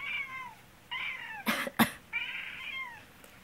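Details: A black house cat meows repeatedly while its owner, sick with a cold, coughs. There are three drawn-out, slightly falling meows, and two sharp coughs are heard between the second and third.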